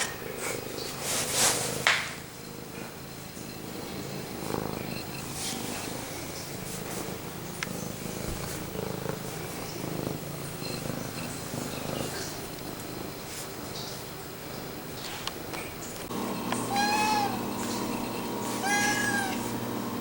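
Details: Pumpkin, a male pet cat, purring and meowing close to the camera indoors: a long rumbling purr with a few knocks and rustles, then two short, tonal meows near the end.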